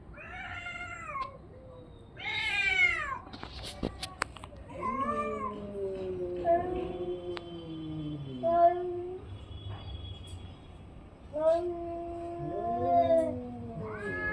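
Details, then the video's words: Orange and white domestic cat giving a series of long, wavering meows and drawn-out yowls, some rising then falling in pitch, with short pauses between calls and a few faint clicks in the background. "cat funny sound"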